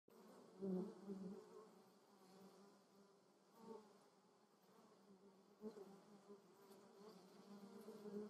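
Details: Honey bees, alongside other insects, foraging on lavender in the Moselle valley (Moseltal), Germany; a steady low droning hum swells sharply as one flier passes close near the start, then fades and returns in softer waves.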